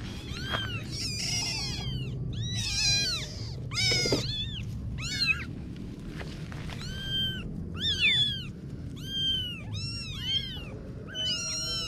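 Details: Litter of kittens calling insistently, a loud run of high, arched, overlapping meows repeated many times, some sharply rising and falling, others short and clipped.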